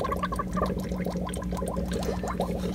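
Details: Captive Oriental fire-bellied toads vocalize while hanging out together in their enclosure, giving soft, low, hollow notes in quick overlapping series over a steady hum.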